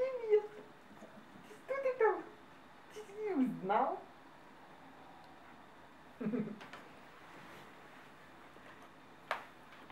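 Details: Male Bernese Mountain Dog puppy, number 4 of litter G at kennel BerjissUA, trying his first woof indoors: squeaky yelps with steep falling sweeps, then a short rough bark-like burst, with human voices between.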